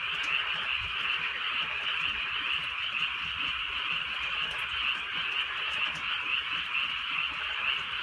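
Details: Many frogs croaking together on a drizzly rural night in the countryside: a dense, steady, high-pitched chorus of rapid overlapping croaks and trills, with soft rain pattering in the background.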